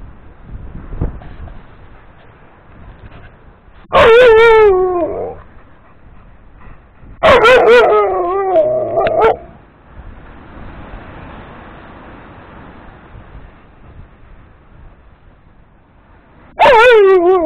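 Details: Dog barking to have a big yellow ball thrown for play, recorded 02-04-2018; three loud, wavering whiny barks spaced several seconds apart, with quieter rustling and room noise between them.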